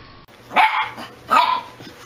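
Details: Welsh Corgi in a compilation of corgi clips giving two sharp barks about three-quarters of a second apart, bright and mid-pitched, over a faint steady hum.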